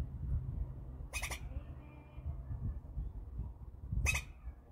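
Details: Two brief, harsh, raspy squirrel calls about three seconds apart, heard over a low rumbling background.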